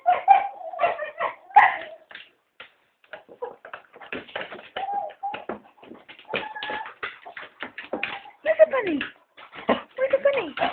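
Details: Cocker Spaniels indoors begging to be taken for a walk, three dogs together; a busy run of short choppy grunts, yips and whimpering murmurs with a few brief whines, sounding like talking, without a pause.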